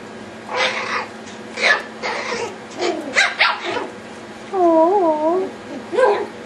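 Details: Playing Yorkshire Terrier puppies: scattered short, high yelps and barks, then a clear wavering whine that dips and rises twice, followed by one more sharp yelp.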